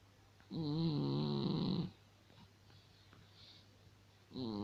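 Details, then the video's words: Sleeping cat snoring indoors: one long droning breath of about 1.3 seconds with a humming, wavering tone and stacked overtones, then quiet breathing, and a second snore starting at the end. "Вот так храпит кот"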